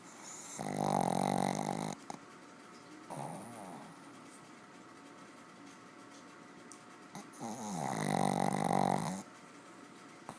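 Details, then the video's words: Heavy snoring from a deeply sleeping pet dog indoors: long, rough, rattling snores of about a second each, at roughly one, three and eight seconds, with quiet breathing between them. "Dog snoring heavily"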